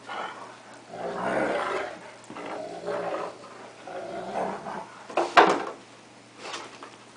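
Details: Two dogs at play, a cocker spaniel taking on a wolf-Akita cross indoors; rumbling growls swell and fade in waves, broken by one sharp, loud snap-like burst late on.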